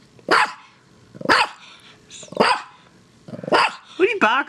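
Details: Excited six-year-old female dog barking at play, four loud barks spaced about a second apart, then a person talking briefly at the end.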